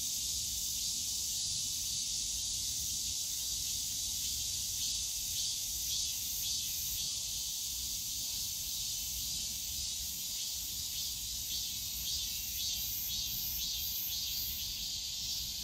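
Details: A steady wall of cicada buzzing fills the bamboo grove of Yongsan Family Park on a summer day, shrill and hissing with gentle rhythmic throbbing toward the end and distant low park noise beneath.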